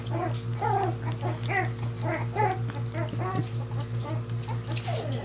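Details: Portuguese Water Dog puppies from the Zeba and Dozer litter after their first meal, making a run of short whiny whimpers and squeaks, roughly two a second, over a steady low hum.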